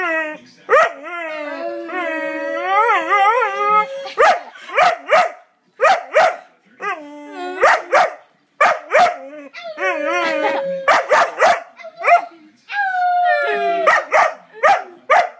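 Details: Pet dog with a funny bark, alternating rising and falling howled, yodel-like notes with quick bursts of sharp barks, often two or three barks close together, in a lively, irregular rhythm.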